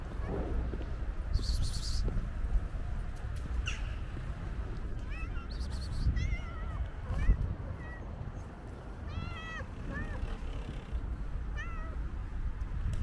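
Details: Energetic stray tuxedo cat that jumps and grabs a leg gives a run of short, rising-then-falling meows in the second half, over a steady low rumble of background noise.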